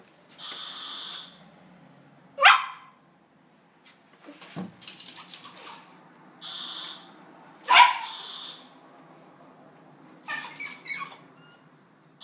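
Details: Dog reacting wildly to a ringing doorbell at home: a chime sounds, then two sharp, isolated barks about five seconds apart, with a person greeting it in between.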